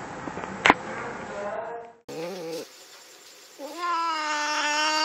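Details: Three young kittens fighting with a bigger young cat in Andhra Pradesh, India, letting out drawn-out wavering yowls, one brief sharp click early on, then a steady rising wail.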